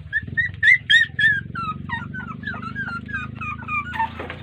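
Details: Whining puppies ignored by their mother dog, which may be tired or unwilling to feed them. Thin whistled whimpers fall slightly in pitch and repeat several times a second, over a low background rumble.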